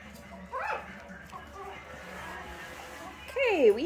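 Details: Four-week-old Pomeranian and Dachshund puppies in June 2022, litters of two mothers, solid-colored and two-colored pups: a brief high whine early, then a loud wavering yelp near the end, over faint background noise.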